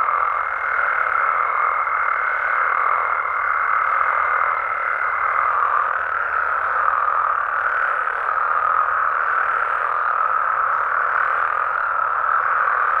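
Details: Dense nocturnal frog chorus in Mexican amphibian habitat, overlapping croaks blending into an even roar; a clear sustained higher tone runs through the first five seconds, with a faint low hum beneath.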